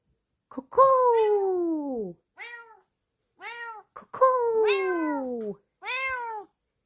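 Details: Bengal cat Kokoa answering when called by name: long, loud meows that slide downward, the first and fourth drawn out, with shorter arched meows between, about five calls over seven seconds; a person speaks.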